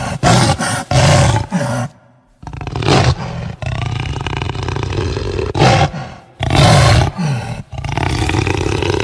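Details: Jaguar growl and roar: a series of heavy, raspy, low roaring bursts of uneven length, separated by short pauses, with a longer sustained grumbling stretch in the middle.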